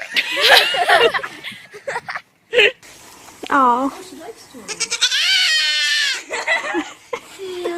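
Goats bleat in loud, wavering, nasal cries, some short and some drawn out, with a human voice nearby.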